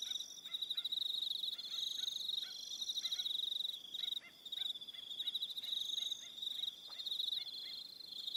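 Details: Crickets trill through the evening on Aroha Island, New Zealand, in a shrill pulsing chorus. Short repeated lower chirps, possibly frogs or other insects, sound about twice a second underneath.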